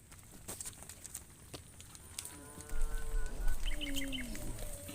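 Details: Cows heading to the farm pen with their shepherds; a drawn-out harmonic moo rises in the second half over rustling, hoof thuds and scattered clicks, with faint chirping birds.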